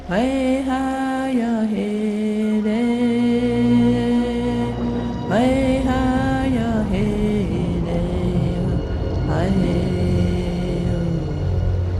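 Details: Loud chant-like music with a sustained droning voice and layered harmonies fills the whole stretch.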